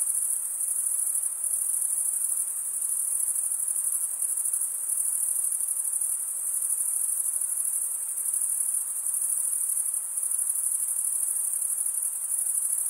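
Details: Stridulating crickets, usually males, rubbing a wing edge across a comb-like toothed vein on the opposite wing. The result is a continuous piercing high-pitched drone with a subtle rapid throb, steady in volume, heard alone.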